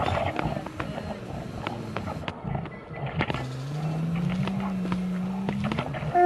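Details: Asian black bear (Ursus thibetanus) producing a long, low hum that holds level for about three seconds and lifts slightly at its close, over a rumbling, clattery background.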